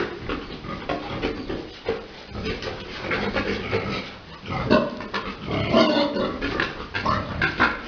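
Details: Farm pigs, a large boar mounting a sow for breeding at Dusama Farms, give coarse grunts and snorts in irregular clusters, louder near the middle, with constant barn noise behind.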